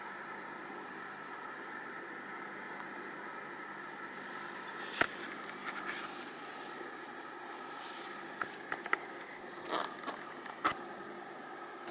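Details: Quiet indoor background hum with scattered scrapes, clicks and crackles, and no animal voice audible.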